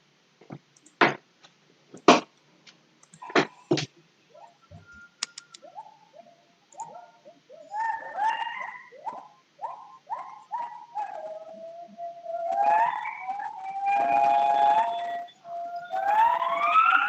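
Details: Agile gibbon (wak-wak) song, a recording played back at a children's storytelling session to contrast gibbon species' songs. It opens with a few sharp clicks, then a run of short swooping notes that builds into long, loud rising whoops toward the end.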